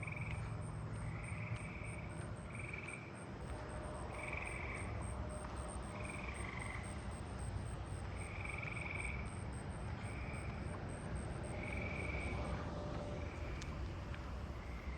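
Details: Eastern gray treefrogs in a neighbourhood, possibly in a swimming pool, give short musical trills every couple of seconds on 7/12/26 over a steady, high insect pulse, with Carolina ground crickets and a southeastern field cricket calling nearby.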